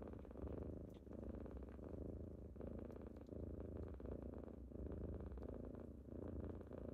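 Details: Kittens purring indoors on a typical morning as they wake their owner: a deep, continuous rumbling purr that swells and eases in slow cycles about every second and a half, with faint soft clicks and rustles.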